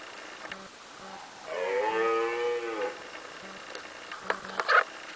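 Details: Two red deer stags fighting: one gives a single drawn-out, harmonic bellow, followed by a few sharp knocks.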